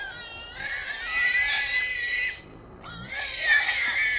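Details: Wild hogs, three young boars caught in a small trap at night in Texas, loud harsh screaming squeals, long and grating, in two bursts separated by a short pause.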